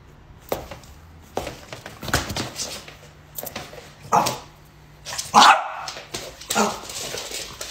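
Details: French Bulldog in a playful home setting, reacting after someone walks toward it and does a little jump; several short sharp barks and yips spaced irregularly, with a person talking in between.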